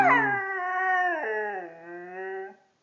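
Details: Pet Siberian Husky singing for another dog indoors: a loud, sustained harmonic howl that slides down in steps and holds steady for over two seconds, fading out at the end.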